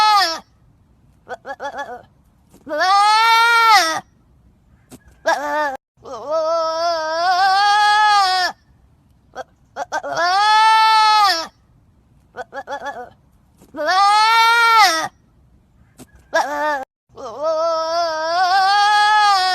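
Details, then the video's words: Trapped goat bleating loudly and repeatedly: long, strained, wavering cries with rich harmonics, each lasting about one to two seconds, separated by short silences, roughly a dozen calls over twenty seconds, with shorter clipped bleats between the longer ones. "Suara Kambing Terjepit"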